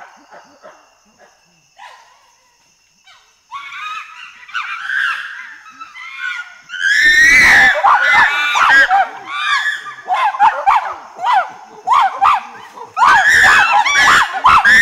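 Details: Chimpanzee pant hoot developing into loud screams: quiet breathy pants give way to a rising series of hoots, then a sudden outburst of shrill, harsh, overlapping screams in rapid waves.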